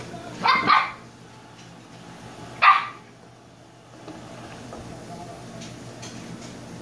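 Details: Shiba Inu pup, one of two named Kyno and Niro, gives two sharp yappy barks close together, then a single bark about two seconds later, followed by quiet room noise with faint background voices.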